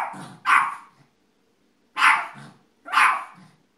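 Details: Barking Yorkshire Terrier: a rough double bark followed by two single barks roughly one second apart, each harsh and bright with a brief gruff tail.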